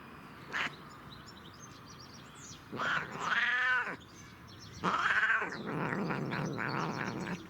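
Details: Pet cat vocalizing while enjoying catnip, giving two loud, drawn-out, wavering meows about two seconds apart, each roughly a second long, after a brief opening chirp, with a softer trailing murmur.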